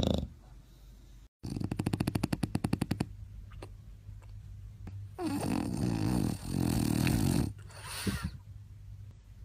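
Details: Sleeping bulldog in a snoring competition at My Second Home, Dubai, October 2015: a fast rattling, fluttering snore of rapid pulses lasting over a second, then harsh, noisy wheezing breaths.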